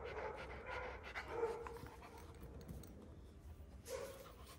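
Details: One-year-old Kangal dogs in Alanya, Antalya province, Turkey, 24 September 2024. A short stretch of uneven, huffing breaths comes in quick bursts, fading and then returning near the end against a steady low rumble.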